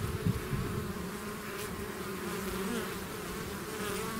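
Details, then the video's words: Swarming bees out of their hive make a constant low droning hum, slightly louder at the start, with a few nearer buzzes over a steady mass of wingbeats. "bees therapy swarm natural buzzing sound"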